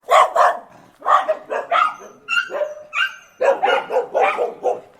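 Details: Dogs barking and whining: bursts of sharp barks, then drawn-out tonal whines in the middle, followed by a fresh run of rapid, rough barks.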